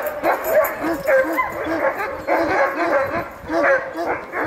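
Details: Excited sled dogs at Denali National Park, Alaska, worked up before hauling a wheel sled: loud, rapid, overlapping barks and high yips from a pack, rising and falling in waves, a few faint voices nearby.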